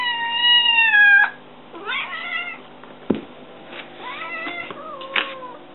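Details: Hungry kitten meowing for food while climbing a kitchen counter; a long steady meow opens, followed by shorter wavering meows and a few sharp knocks and clicks.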